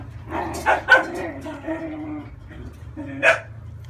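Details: Young French Bulldog puppy, thirty days old, being bathed to remove skin crust, gives drawn-out low whimpers broken by sharp yelps, with a steady electrical hum underneath.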